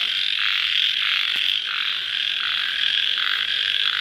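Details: Crickets at night right after rain produce a dense, shrill, ringing chorus, steady in loudness, with a lower band throbbing in uneven beats and one sharp click near the middle.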